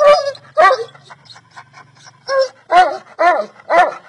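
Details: Bully Kutta dog barking: about seven deep, harsh barks, a pair at the start, then a pause with a low hum, then five more in quick succession about every half second.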